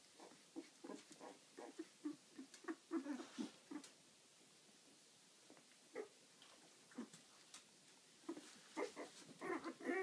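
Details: Litter of eleven-day-old puppies making rapid short squeaks and grunting whimpers, roughly two a second, uneven in rhythm, over a steady faint hiss.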